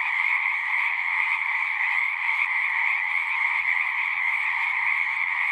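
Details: Frogs singing at a pond in a horse pasture, recorded with a Zoom 6: a dense, steady chorus of overlapping trills centered high, forming an unbroken shimmering wall of sound with no pauses.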